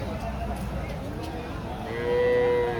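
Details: Hallikar cattle at a cattle market in T. Narasipura: a steady, drawn-out moo near the end of the clip, over constant crowd chatter and men talking and bargaining.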